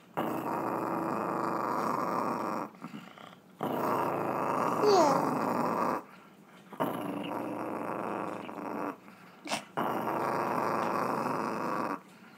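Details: Chihuahua making a weird noise indoors: long, rough, rumbling growls held for two to three seconds each, separated by brief quiet breaths, repeated four times.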